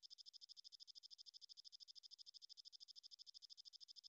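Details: Belalang emas, the golden grasshopper, recorded as a tutor track for young songbirds: a soft, even, high-pitched trill of evenly spaced pulses, roughly eight per second, running unbroken over a quiet background.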